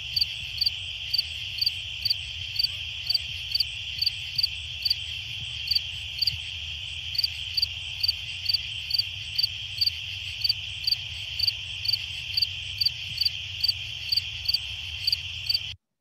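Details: A fall field cricket in the Chicago region gives short, bright chirps, repeated steadily about twice each second.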